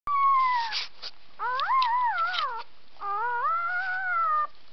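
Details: Three-hour-old puppies of one mother giving high, wavering tonal whines and howls, each cry rising and falling for about a second with short gaps between them, several pups overlapping.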